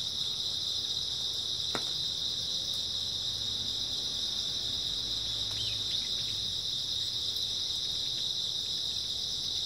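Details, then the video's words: Steady high chorus of grass insects at night in early autumn, continuous and even, interrupted by one sharp tap early on and a brief faint chirp midway. "초가을 밤부터 새벽까지 백색소음 풀벌레 소리"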